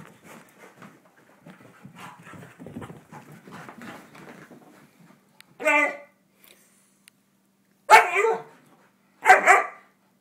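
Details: Pet dogs Teddy and Alma at home; after a stretch of soft, low grumbling and rustling, three sharp, loud barks ring out near the end, spaced roughly two seconds apart.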